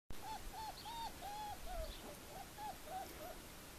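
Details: Four-week-old puppies, the Formule 1 litter with Callie, at Le Domaine des Pertins: a run of short, arched whining squeaks, about three per second, each rising then dropping, with a low background rumble.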